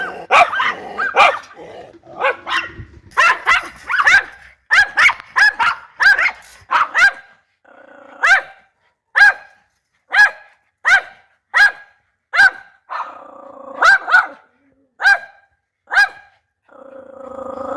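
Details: Dog group barking, the mix including breeds like German shepherd, rottweiler and Labrador retriever; crowded barking at first, then single sharp barks spaced about every half second to second with brief low growls between.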